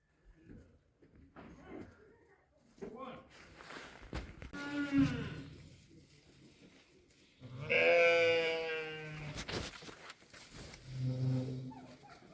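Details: Sheep in the desert steppe, where a ewe has just given birth to a new lamb under a shepherd's care: two loud, quavering, harmonic bleats, a shorter one near five seconds and a longer wavering one around eight, with a man speaking Arabic throughout.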